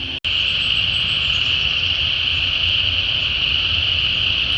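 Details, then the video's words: A deafening wetland chorus of spring peepers in Georgia in late January 2024: high piping notes merge into a continuous shrill wall, mixed with what the recordist believes are chorus frogs. "well you can hear the deafening call of spring peepers and what I believe are some species of chorus frog"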